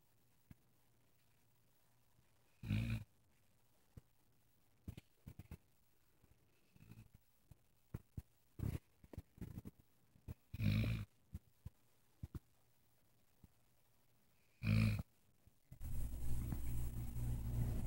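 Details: Asleep, a dog gives a few low, raspy snores several seconds apart, mixed with soft clicks and shuffling, before a burst of loud broadband rustling noise fills the final seconds.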